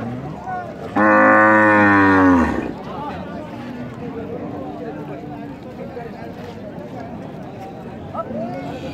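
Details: Cow lowing once: a loud, rich, harmonic moo lasting about one and a half seconds, steady and then falling off at the end, followed by quieter background chatter and faint crowd noise.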